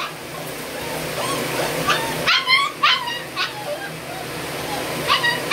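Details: Puppies or dogs at a seller's premises in Banka, Patna, Bihar, India; a few short high yelps and whimpers, strongest around the middle and near the end, over a steady low hum and background noise.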